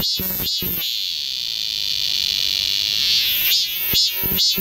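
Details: Cicadas singing in the summer forest of Galsan Park, Mok-dong, Yangcheon-gu, Seoul: a steady high-pitched droning hiss holds throughout, broken by a few short, sharp broadband bursts near the start and end.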